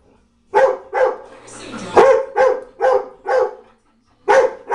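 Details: Pet dog Miyavi barking at a china cabinet indoors, about eight sharp, loud barks spaced roughly half a second apart, with a short human voice sound partway through.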